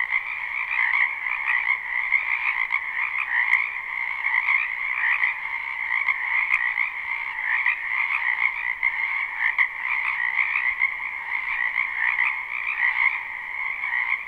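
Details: Many frogs croaking in a spring wetland behind a house, live and unlooped: a dense, unbroken chorus of trilling pulses in two steady bands, mid and high, with faint rises and falls and no other clear sounds.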